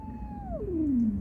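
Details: Domestic cat from a recording of a mother cat warning an unwelcome intruder away from her kittens while kittens cry for her; a single drawn-out tonal wail sliding steadily downward in pitch, with low background rumble.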